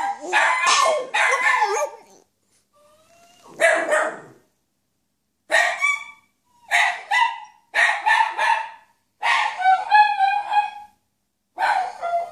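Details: A male French Bulldog, trying hard to howl like another dog, gives short, hoarse howling yowls in bursts of about a second, separated by brief pauses.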